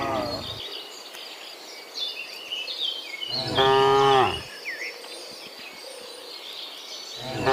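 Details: Cow in the morning on the way back from the field to the barn, giving one loud harmonic moo of about a second, with bird chirps and insect-like buzzing in the background.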